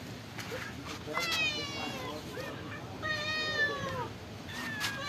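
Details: Meows from cats that live at a pagoda while they are fed rice and fish. Two bright, rising-and-falling cries with rich harmonics stand out, separated by short clicks and softer background mewing.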